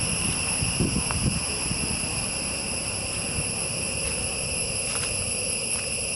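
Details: Forest insects drone steadily in high, unbroken shrill tones among tall trees, while low thumps and rustling handling noise sound near the start.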